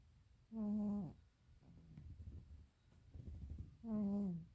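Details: A deeply sleeping pet cat snores loudly. Two strong, tonal, nasal snores come roughly three seconds apart, separated by a softer, rough, breathy rasp.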